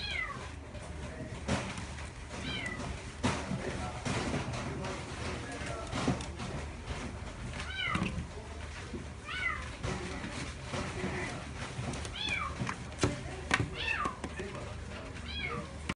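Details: Female Chihuahua puppy, parti-colour, born 23 June 2016, at a pet shop, giving short high arched whines or squeaks, about eight scattered over the stretch, each bending up then down, amid steady room noise and faint background voices.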